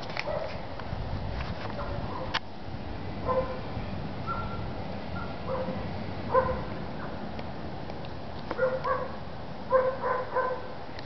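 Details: Short whimpering notes from adult German Shepherds being socialized come in scattered bursts, several bunched together toward the end, above a steady rushing background noise.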